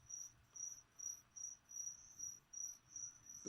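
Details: Crickets offered as food to a leopard gecko chirp in a regular train of high, ringing pulses, about two a second, ending with a short thump.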